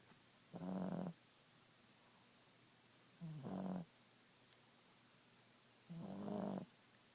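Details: Napping Boston Terrier Ziggie snores in three even, raspy bursts spaced about every three seconds, each carrying a low humming tone, with quiet stillness in between.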